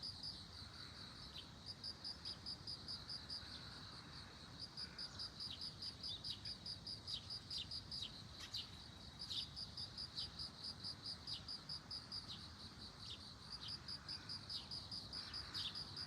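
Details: Bell cricket calling beside globe amaranth flowers: high, clear ringing pulses in an unbroken series, about two to three per second, for the whole stretch, with a few faint clicks and brief rustles behind.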